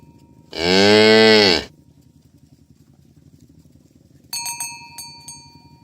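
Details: A tame cow in a herd driven to the pen in the morning along a rural village road gives one loud, full, level moo of just over a second. A soft murmur follows, then sharp cowbell clangs.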